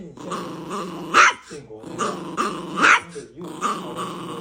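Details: Pet dog producing funny growling noises indoors: a grumbling, harmonic phrase repeated about every one and a half seconds, each topped by a brighter, strained yelp-like peak, with quiet room noise between.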